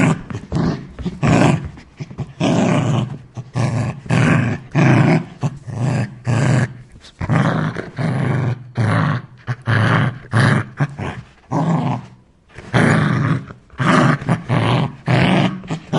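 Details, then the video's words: Aggressive Rottweiler dog giving deep, rough growling barks in rapid bursts, each about half a second long, packed closely together with brief gaps throughout. "son de chien rottweiler, sonido de perro rottweiler , rottweiler dog sound"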